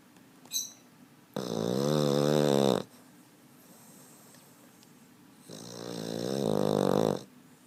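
A Boston Terrier snores in long, rattling breaths with a few seconds of quiet between them.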